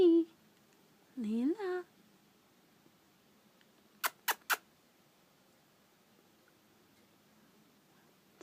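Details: A playing kitten gives a brief, wavering, chirrupy call that rises and falls, followed later by three sharp taps.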